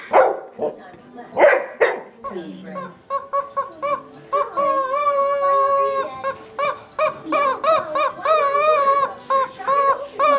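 A dog gives a few sharp barks early on. Then the long, wavering honks and squeals of a squeaky rubber chicken toy take over.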